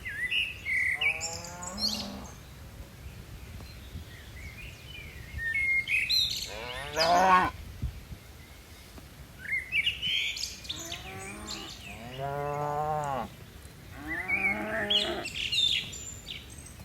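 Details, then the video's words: Several fairly faint moos, some short and some long and wavering, spaced through the stretch from a herd of dozens of tame cattle descending mountain hills, with frequent bird chirps and tweets around them. "Suara lucu sapi moo"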